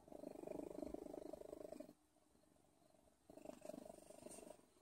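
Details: Odin, a cat, purring in a low, steady, pulsing rumble for about two seconds, falling quiet briefly, then resuming the soft throbbing purr.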